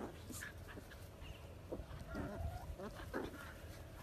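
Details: Pet Dachshund, a sausage dog, letting out a run of short whiny yelps with wavering pitch, several bursts close together over a low background rumble.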